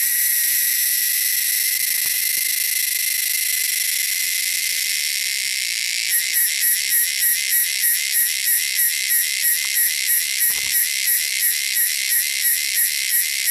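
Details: Wilderness cicadas: a steady shrill buzz for several seconds, then breaking into fast rhythmic pulsing, about three beats a second, loud and high.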